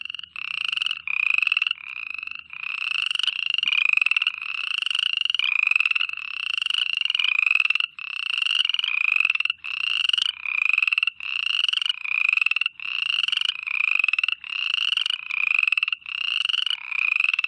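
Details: Continuous night chorus of frogs: repeated raspy, pulsed croaking bursts, each roughly half a second to a second, slightly upslurred, in a steady overlapping rhythm with short dips between.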